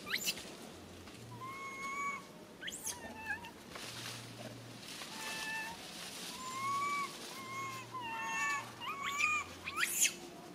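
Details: Baby monkey Lily calling sadly for her mama: repeated plaintive whistled cries, many rising then dipping, mixed with sharp shrill squeals and scrapes, about one call per second, with a low hum underneath.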